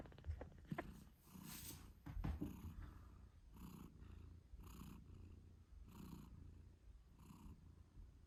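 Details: Moon Stone, a British Shorthair mother cat, purring loudly as she nurses her eight-day-old kittens indoors; a rhythmic low purr swells with each breath, roughly once per second, with a few soft snuffles and rustles early on.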